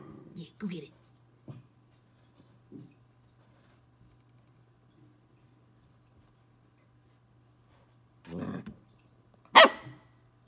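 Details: A twelve-week-old Corgi puppy playing with a bug. A woman speaks briefly at the start, then comes a quiet gap. Near the end there is a short rough growl-bark, followed by a single piercing high bark.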